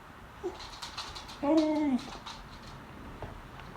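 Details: Female beagle begging at the table at lunchtime, giving a single drawn-out tonal whine that holds steady then dips slightly, lasting about half a second, with faint clatter in a small indoor room.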